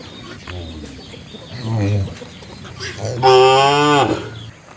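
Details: Cow lowing: a faint low murmur, then a short moderate moo, followed by a louder, longer, bright moo with strong overtones over light background noise.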